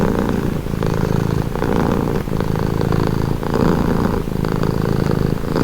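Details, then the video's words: Steady low purring from a cat, a thick rumbling drone that swells and eases with each breath roughly every second, quiet throughout apart from the soft breathy rasp. "Purring cat"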